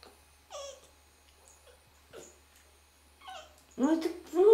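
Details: Red fox making soft calls: thin whining notes at intervals, ending in two louder, strongly harmonic wavering whimpers. People speak Russian quietly around the animal.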